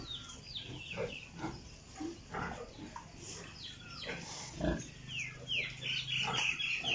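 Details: Piglets on a pig farm in Italy: a mix of short rough grunts and scattered squeals, with high rising squeaks near the end and steady barn background noise.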